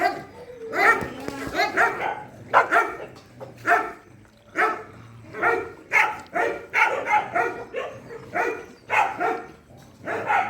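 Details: Dogs at a shelter during night feeding, barking in a busy chorus of short, sharp, uneven bursts about once a second, several voices overlapping.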